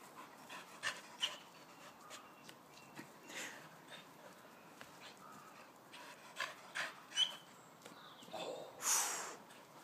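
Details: Springer spaniels playing outdoors, trying to catch a ball hanging on a washing line; scattered soft breathy panting bursts and light rustling, with one louder broadband burst near the end.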